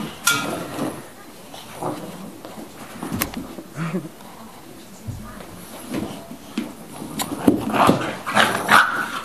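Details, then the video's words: Two Old English Bulldogs, one 11 weeks and one 20 months old, playing tug of war indoors: short rough growls and yips in scattered bursts, with scuffling, thumps and a person speaking. "Playing Tug Of War"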